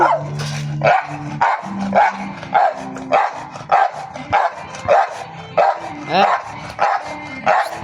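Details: Dogs barking steadily, sharp barks repeated roughly every half second to second, with a woman scolding them in Filipino between and over the barks.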